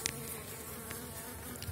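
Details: Elgon bee honeybee colony just out of wintering in an opened hive on widened Warsaw frames, 2019 season; soft humming drone under hissy background noise, with a few clicks at the start and end.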